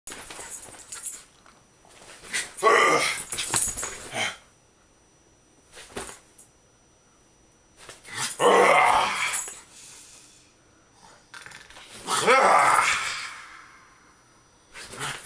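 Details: Jack Russell Terrier named Agnes in extreme rough play indoors with a companion named Alex, snapping and bouncing off him; three loud bursts of harsh, noisy growling and snarling spaced about four seconds apart, with quieter scuffling between.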